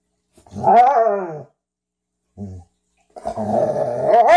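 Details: Frenchton and Rhodesian ridgeback at play on their first meeting; an arching, voiced growl swells and fades, a short grunt follows after a silence, then a sustained, rough, rising growl builds toward the end, indoors.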